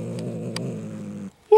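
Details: Jinxie, a pet cat resisting being pulled from beneath a chair, growls in a low, rough, sustained tone. The growl stops abruptly and a short, high yowl bursts out at the close.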